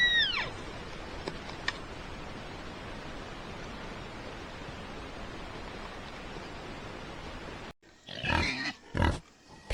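A pig gives two or three rough, broad grunts near the end, after a long stretch of steady hiss. A brief falling squeal-like sweep opens the recording.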